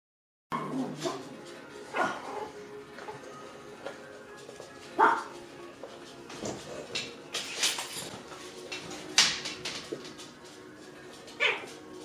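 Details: Six-week-old puppies playing together in a pen, giving scattered short high yips and sharp little barks at irregular intervals, with faint steady background tones underneath.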